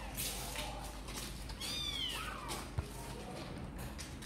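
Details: Kittens named Sor and Kapov, apparently eager to come out and play, give a high thin meow that rises and falls, sliding downward at the end, over steady low room hum with a single click.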